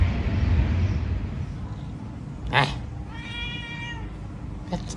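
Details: Pet cat meowing once in a long, slightly wavering tone for about a second, with a sharp click just before, over steady low engine or traffic rumble and faint speech.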